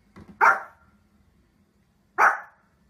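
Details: Two loud, abrupt barks from a domestic dog, nearly two seconds apart. Short, broad and punchy, each is preceded by soft low noises, in a quiet indoor setting.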